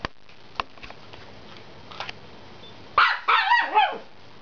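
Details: Chihuahua begging indoors for the chew a Jack Russell is eating, though it has its own chews; after near-quiet with faint clicks, a short burst of high, whiny, harmonic yelps rises and wavers for about a second.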